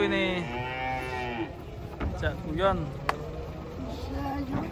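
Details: Huge cattle unloaded from a truck one morning. A long, steady moo opens the clip. Shorter, bending, nasal calls and a sharp knock follow over a constant low rumble.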